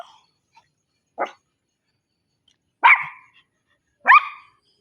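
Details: Single dog giving three separate loud barks about a second or more apart, each sharp and clipped, with silence between.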